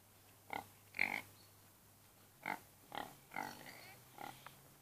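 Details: Domestic pig (Hausschwein) making five short, sharp grunting squeaks in quick bursts, spaced roughly half a second to a second apart, against a quiet, low background hum.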